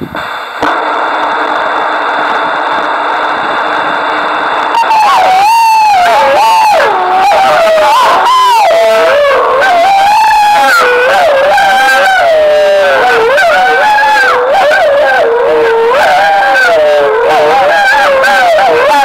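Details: Gray wolves in Foreste Casentinesi National Park, Italy, 2013, answer a howling stimulus during a census with a wavering chorus of long, sliding howls after a steady hum, used to triangulate their range and estimate numbers.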